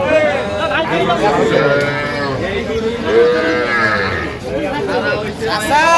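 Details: Several young Sahiwal bulls and heifers at a cattle market in Faridpur, Bangladesh, on 11 November 2025 give long, wavering moos that overlap one another, with bargaining voices murmuring underneath.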